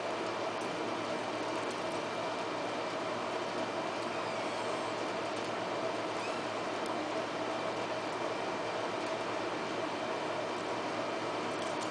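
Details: Steady, even broadband noise like a running machine or vehicle fills the whole stretch, with no animal voice.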